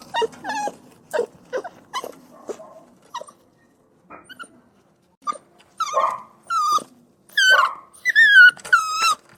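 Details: Crying and whining puppies: quick yelping whimpers at first, a quieter pause, then louder, longer, wavering whines that dip and rise, repeated in close succession toward the end.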